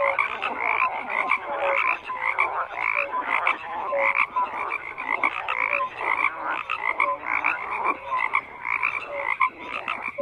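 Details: Continuous chorus of croaking frogs, many overlapping grating calls in rapid bursts with a steady rhythm, occasional short tonal notes rising above the rasp, no other sounds apparent.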